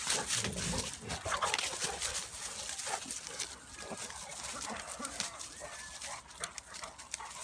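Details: Bulldog/Staffy cross wrestling with a Cane Corso; rough, broadband bursts of play growls and scuffling come in quick irregular pulses, with faint human speech underneath.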